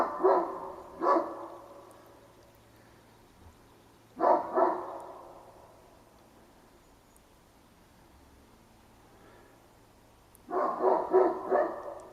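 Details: Domestic dogs at a back fence bark around 9:30 am, loud, harsh barks in doubled or clustered bursts with pauses of several seconds, unprovoked, for about ten minutes, out of boredom and for recreation.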